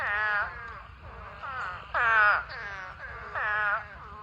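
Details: Spadefoot toads in a huge mating swarm, a pond holding thousands of toads: loud, nasal, bleating calls of about half a second each, overlapping and wavering, with some calls rising and others falling.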